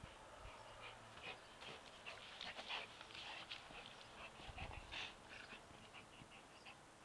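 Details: Buddy, a Labrador Retriever, at play with his football, breathing in quick, rough, hissy puffs a little faster than two per second, low in volume, with a quiet background hiss and a few dull thumps.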